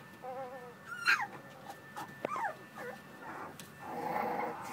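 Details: American Bully puppies playing, with thin wavering whimpers and a rising then falling squeal, a short yip, and a softer growl toward the end.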